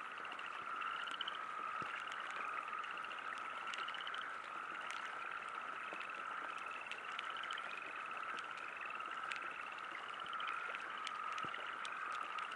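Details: At a river campsite, many frogs call together in a continuous, trilling chorus, with short rising notes repeated over a steady drone, while light rain patters throughout.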